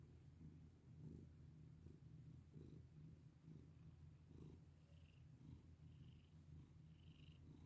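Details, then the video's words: Purring house cat under a petting hand: low, unbroken rumble pulsing gently, with occasional soft rustling strokes and faint higher squeaks. "Pet my sweet cat with me!"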